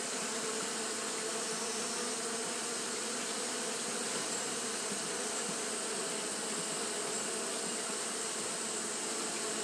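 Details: Fanning Japanese honey bees on a hot day produce a constant, dense hum, low tonal band under a broad buzzing hiss, holding one level throughout with nothing else audible.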